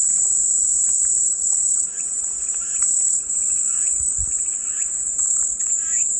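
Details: A continuous, piercing cicada drone fills the clip at an even high pitch. Quiet twittering calls of other animals come and go underneath.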